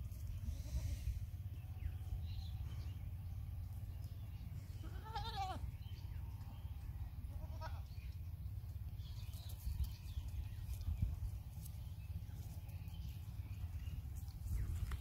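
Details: Baby goat bleating twice, a wavering quavering cry followed by a shorter fainter one, against constant low-pitched mechanical hum and scattered clicks.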